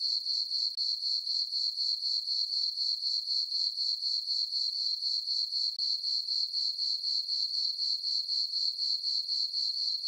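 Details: Crickets sing through a still, full-moon summer night in a farm meadow: a constant shrill ringing tone that throbs rhythmically about four times each second, with nothing else audible.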